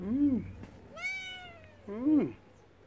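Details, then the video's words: Spayed mother cat, once wild, keeping watch over her kittens beside rescued tigers: two loud, low arched cries bracket a higher, thinner meow that slides slowly downward, all close and clear against quiet background. "Mother cat looking out for kittens safety by the tigers"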